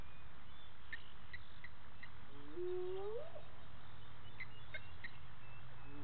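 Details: Spotted hyena calling at 18:30 on 10/11/18 near Gowrie dam waterhole, Djuma Game Reserve, Sabi Sand Wildtuin, South Africa; a single low, tonal whoop sweeps upward over about a second, with faint ticking insects and distant chirps behind.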